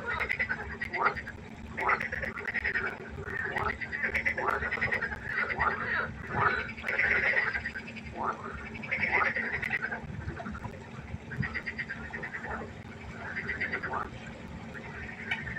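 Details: Pond frogs croaking after dark, a quieter chorus of repeated rattling croaks in clustered bursts every second or two, over a faint steady hum.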